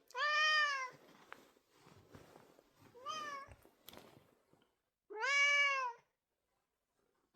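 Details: Domestic cat indoors meowing persistently like an alarm clock that cannot be switched off: three loud, drawn-out harmonic cries, the first and last about a second long, the middle one shorter, with quiet rustling between.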